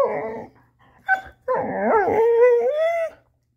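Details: A black female Labrador-Coonhound mix trying to get her ball out makes drawn-out tonal whining and whimpering, a short yip near the middle, then a long rising-and-falling whine, with music in the background.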